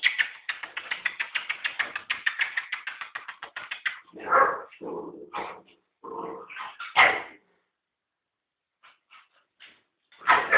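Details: American Pit Bull Terrier puppy Zuzu, eight and a half weeks old, meeting two-year-old American Staffordshire Terrier Tilla; a fast train of short repeated yelps for about four seconds, then scattered whines and bursts of barking.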